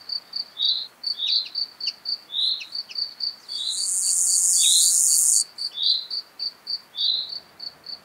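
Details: Gravel grasshopper singing at Taugl, Austria, in July 2019. A steady, hissing, high buzz of nearly two seconds stands out from a run of brief, sharp, high ticks and chirps repeated about four times a second.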